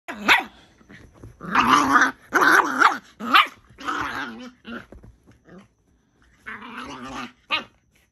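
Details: Two Miniature Pinschers, Bonnie, a merle-coated female, and Draco, a chocolate male, fighting for dominance indoors: harsh, snarling growls and rough bark bursts come in uneven volleys, with a short pause before a final rasping flurry.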